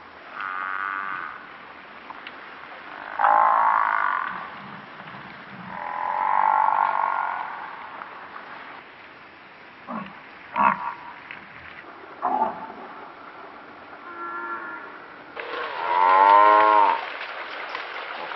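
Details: African buffalo (Syncerus caffer) in Kruger give drawn-out, nasal, mooing bellows in separate bouts, with shorter grunts between them.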